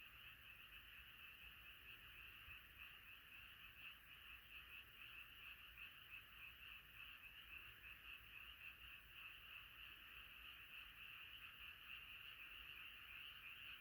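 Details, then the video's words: Frog chorus at night, a gathered choir of frogs calling together: a dense, continuous pulsing band of croaks that never pauses, steady and unbroken throughout. "자연의 소리 개구리소리"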